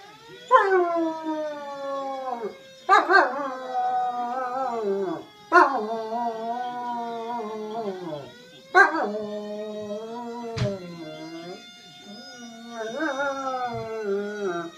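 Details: Family German Shepherd howling at a passing fire truck siren, reacting as it does to any emergency vehicle; long wavering harmonic howls, each starting with a sharp yelp then sliding downward, repeated every few seconds over the steady siren tones.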